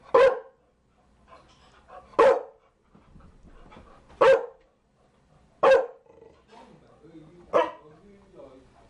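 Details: Single loud barks from a Chow Chow, five in all, spaced roughly one and a half to two seconds apart, with faint low background murmur in the gaps.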